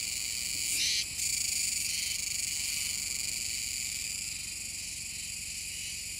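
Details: Kuroiwa's cicada on Tanegashima, Japan, near the Komegawa river mouth, 7 September 2022: an intense, high, shimmering buzz with one short, louder burst near the start, then a steady, even drone.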